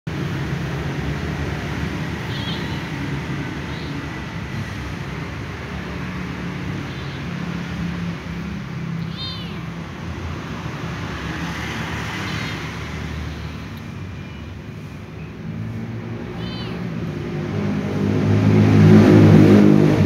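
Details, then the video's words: Little ginger cat lying down, biting and playing with a carpet rope, giving a few short, high, thin meows spaced several seconds apart over a steady low hum, with louder rustling near the end. "little ginger cat is meowing lying down and biting and playing with the carpet rope"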